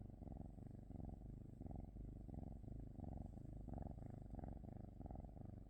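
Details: Deep rhythmic cat purr, each inhale and exhale giving a separate rumbling burst, about two per second, steady and close.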